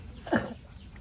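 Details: Hailey, a talkative baby monkey, lets out one short squeaky cry that rises sharply and falls away within a fraction of a second, over a steady low background hum.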